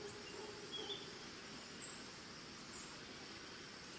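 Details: In Costa Rica, crickets chirp together in a steady, high-pitched trill throughout, with a few faint bird notes over a hiss of background noise.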